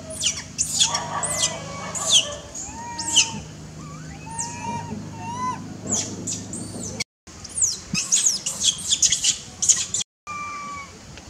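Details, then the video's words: Baby monkey, newly born, held by its mother and fretting at lost freedom to play, mixes thin piercing squeals with short rising and falling whistled cries, repeated in rapid runs. "New Born Baby Monkey is feeling unhappy that have not enough freedom to play around & mom detained"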